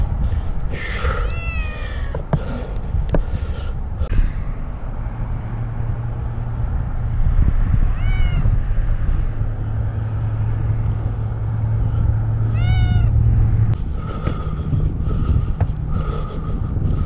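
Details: Cat stranded in a tree for six days during a rescue, giving about four brief, scattered meows that arch up and down, heard over a loud, continuous low engine rumble, with a person calling "come on".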